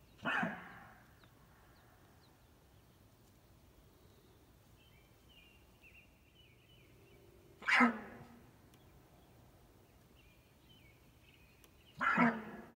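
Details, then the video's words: Elk in Colorado giving three short, harsh, noisy bursts: one at the start, one near the eighth second and one near the twelfth. Quiet pauses separate them, with faint thin tones in between. "Talking Elk in Colorado"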